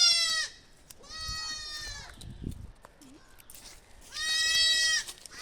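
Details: Young goat kids bleating while a puppy hears them for the first time: loud, nasal, wavering bleats each about half a second to a second long, separated by pauses with a man's voice and faint shuffling.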